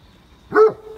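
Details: A Great Pyrenees, a very large dog, on a rainy morning walk: a single short, loud bark with a brief harmonic burst, over quiet background with a faint steady tone.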